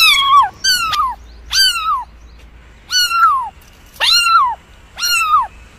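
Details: Cat mewing: six short, high, downward-sliding calls spaced about a second apart, with clear harmonics and a quiet background.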